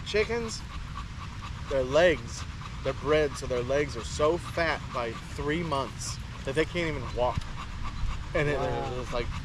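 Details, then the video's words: Staffordshire Bull Terrier with other male dogs at a park on a long evening, a 'wolf pack chat': wavering, rising-and-falling whines and yodelled moans in short bursts, with panting and a low background rumble. "Long evening at the park male wolf pack chat"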